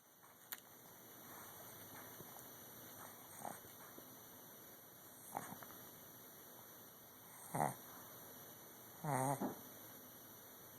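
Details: Sleeping dog snoring, recorded on an Android phone: short rasping breaths at irregular intervals of one to two seconds, faint at first and growing louder, with the last two snores the strongest, over a steady hum.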